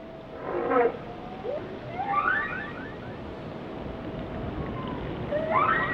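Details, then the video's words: Whale song made of quick upswept squeals and chirps in short bursts, a few low grunts between them, over a continuous underwater hiss. "Song of the Whales"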